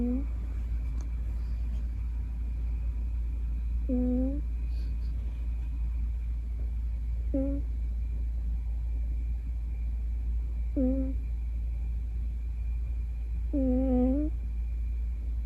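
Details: A female Scottish Fold cat, curled in a ball in deep sleep, snores loudly in short, low, humming breaths about every three and a half seconds.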